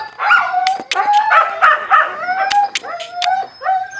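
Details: Siberian Husky puppies eating, giving short, wavering whined howls that rise and fall, several overlapping voices, punctuated by sharp clicking and smacking feeding noises throughout.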